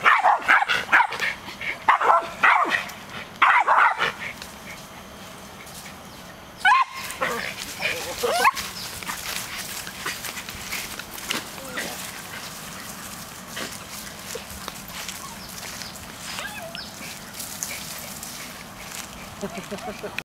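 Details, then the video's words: West Highland White Terriers bark at a monkey in sharp, high, rapid bursts, then fall quieter. "Westies Barking at Monkey"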